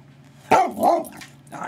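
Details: Dog 'talking' for a ginger snap treat: an abrupt yelp-like burst, then a rising-falling moaning vocalization, with human speech around it.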